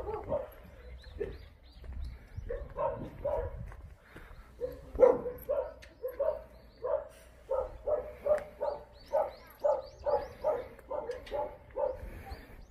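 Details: Distant chorus of Jindo dogs barking at the Jindo Dog Theme Park kennels in Jindo County, South Korea: a long, fairly even series of barks roughly every half second, several dogs overlapping, with faint background rumble.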